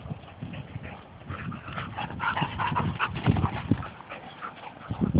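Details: Two Labrador retrievers wrestling and playing rough; irregular low grunting and growly bursts mixed with scuffling thumps, growing louder toward the end.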